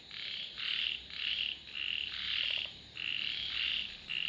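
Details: Frogs croaking together, with separate grating bursts of roughly half a second following one another about once a second and a short soft clicking sound near the middle.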